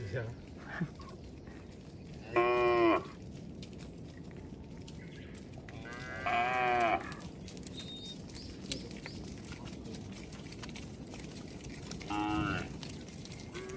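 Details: A herd of cattle roams along a road. Three short, rich harmonic moos sound near seconds 2, 6 and 12, each under a second, with a slight waver, over steady background noise of traffic or outdoor rumble.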